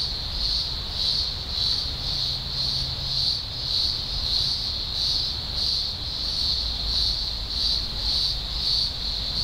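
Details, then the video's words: Thousands of green grocer cicadas in a large emergence, Blue Mountains, Australia, early October 2020, make a loud shrill buzzing chorus pulsing in regular waves roughly every half second, over a soft low background rumble. "Blue Mountains Cicada Chorus"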